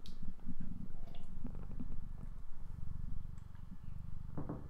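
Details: Tiger Lily, a female pet cat, purrs indoors while sitting in the way on a textbook as people work at a laptop; a low, steady, pulsing rumble runs throughout, with faint rustles and soft clicks on top.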